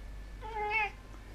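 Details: A domestic cat sitting on a table indoors gives one short meow of about half a second, steady then slightly falling, while a person speaks Hungarian before and after.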